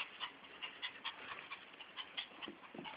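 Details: Fiyero, a pet Chihuahua-Miniature Pinscher mix craving constant attention and sensing someone coming home, pants quietly indoors: quick, breathy, hissing puffs, several per second, soft and even throughout.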